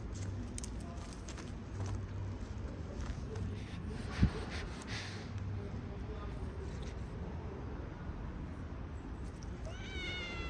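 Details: One of many playful strays in a small park where some cats are sneezing: a brief harmonic meow rising at the very end after a long stretch of low rumble, faint clicks and a sharp knock.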